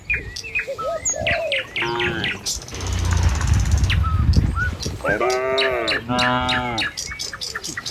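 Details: Tame village cattle walking in a herd along a village road toward their pen in the morning give drawn-out, arching harmonic moos, two long ones a few seconds apart, with many bird chirps and whistles and a brief rushing noise.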